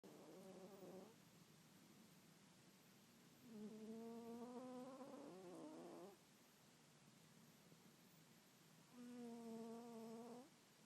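A sleeping Bengal cat snores, each breath a sustained, slightly buzzy hum lasting two to three seconds. The snores come in a slow, steady rhythm, separated by quieter breathing pauses.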